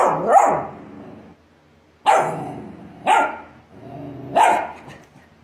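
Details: Australian Shepherd herding dog barking: four loud, harsh barks at irregular intervals of about a second, each with a slightly rising then falling pitch and a brief tail. No other sounds.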